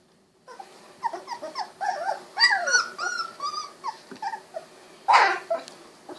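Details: Golden Retriever puppies aged 16 days, eyes recently opened, wiggling, walking and snuggling; a continuous chorus of overlapping whines and bending squeaks from several pups, with a brief rough burst of noise near the end.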